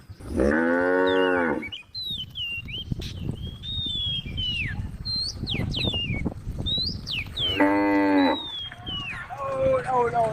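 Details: Two moos from tame cows wandering along a road: a long, loud one at the start and a shorter one near the end. Between them, birds chirp and whistle busily.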